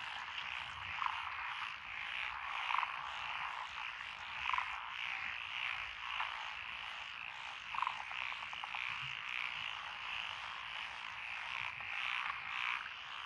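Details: Lotus paddy frogs near a country road in Echizen, Fukui Prefecture, June 12, 2021, including Tokyo daruma pond frogs and forest green tree frogs: thick chorus of raspy croaks, with louder individual calls standing out every couple of seconds.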